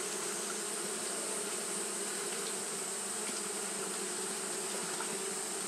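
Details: Steady hum of Japanese honey bees fanning through a hot day, a continuous low drone with layered tones that never pauses, backed by a bright, even hiss.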